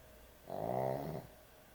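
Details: Sleeping dog, a heavy snorer at bedtime, lets out a single drawn-out snore lasting under a second. It is a rasping, buzzy tone with many stacked harmonics, swelling and then fading against a quiet background.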